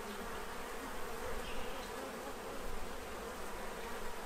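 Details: Many bees feeding at a tray to prepare for winter in Central Illinois; a steady low droning hum of wingbeats fills the whole stretch, with a faint hiss of background noise.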